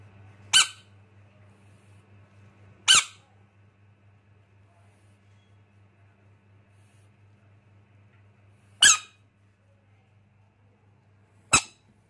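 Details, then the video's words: Baby rain frog letting out four sharp, very brief squeaks, spaced irregularly several seconds apart, each a sudden high crackly burst over near silence and a faint low electrical hum. "baby rain frog, frog sounds"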